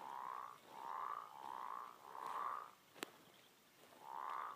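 American bullfrog giving a series of deep, resonant droning notes, each under a second long.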